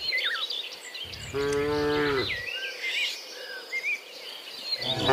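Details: Dozens of cows walking home from the fields to the pen in the afternoon; one deep, drawn-out moo of about a second with rich harmonics, birds chirping and twittering throughout, and another moo beginning at the very end.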